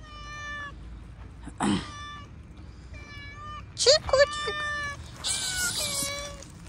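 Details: Outdoor cats meowing insistently as a man calls them over and tells them he is giving it to them; repeated falling meows between loud taps, rustles and his voice.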